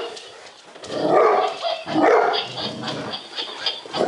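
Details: Golden Retrievers, two males, one a rescued timid dog nearly three years old, barking nervously at a laughing lion toy; a few broken, mid-pitched barks and yelps rising and falling over the toy's noise.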